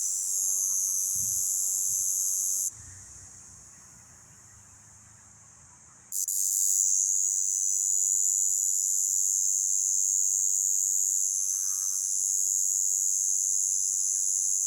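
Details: A cicada in Romania, recorded up close, gives a loud, steady, high-pitched buzz that briefly cuts off before resuming.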